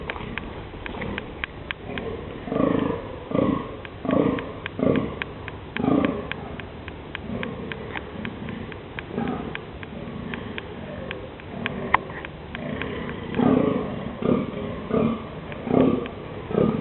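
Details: Male deer rutting in the dunes during mating season on October 11, 2008, give hoarse, throaty barks and grunts in short runs about once a second, with brief pauses between bouts. Faint clicks and rustles sit beneath.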